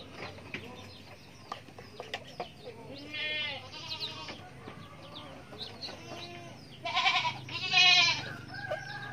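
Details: Young goat kid giving harmonic, wavering bleats in two main bursts, the second longer and louder near the end, while small high chirps from other farm animals and a low hum run underneath.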